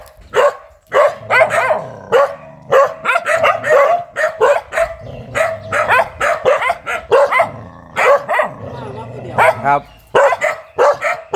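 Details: A very aggressive dog barks nonstop in a rapid, uneven volley of short harsh barks, sometimes doubled or tripled, with barely any pause over the whole stretch.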